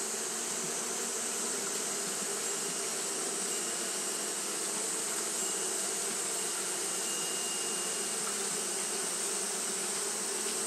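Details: On a hot day Japanese honey bees keep up their fanning, making an unbroken low drone layered with broad hiss and a sustained high-pitched whine, with no pauses.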